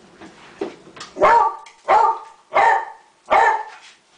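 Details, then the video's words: Barking from Roscoe, a dog in the middle of a group of dogs: four strong, full barks roughly every two-thirds of a second, after a few softer yips. "Roscoe's Beautiful Voice"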